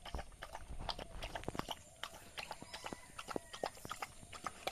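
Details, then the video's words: Rice being eaten by a village dog, uneven chewing smacks and clicks with some low thumps near the start. "Village dog eating rice | dog eating sound effect"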